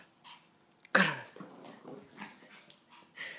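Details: Agitated Pekingese indoors letting out one sudden sharp bark, followed by snuffling, huffing breaths and faint scuffling.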